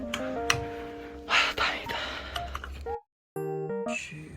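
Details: Gentle sustained music fills the passage, broken by a few soft bumps and breathy noises and a brief moment of silence. No animal voice can be picked out.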